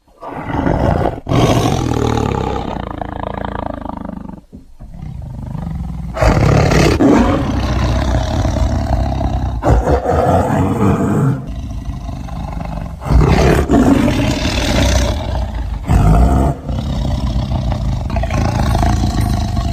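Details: Tiger searching for prey, roaring repeatedly: rasping, deep roars rise and fall in several long waves over twenty seconds, with short pauses between surges.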